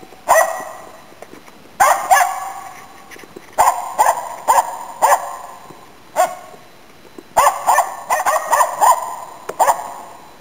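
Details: Autumn 2010 in Inari, Finland: Nella, a Finnish Spitz used to hunt waterfowl and game birds, gives bright clipped barks in irregular clusters of two to five, separated by short quiet gaps, echoing faintly outdoors.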